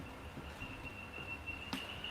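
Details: In a humid rainforest zoo exhibit, a male cinnamon frog calls to attract attention with a thin, steady, high-pitched tone.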